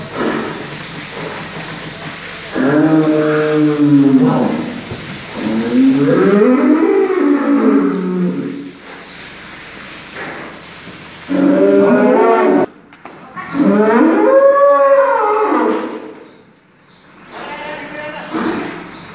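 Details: Holstein Friesian bull in an aggressive state gives about five long, rich bellowing moos, some arching up then down in pitch, each lasting one to two seconds with short pauses between.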